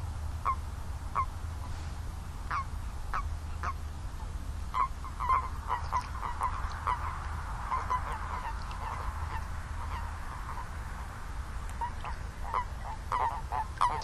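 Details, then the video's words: Many toads calling at once, their short nasal notes thickening into a dense, overlapping mid-pitched chorus midway through, then thinning, above a persistent low rumble. "Song of the Toads"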